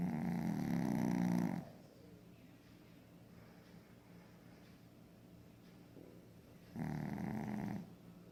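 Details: Two rattling snores from a sleeping Pekingese, each about one to one and a half seconds long, separated by five seconds of soft breathing and room quiet.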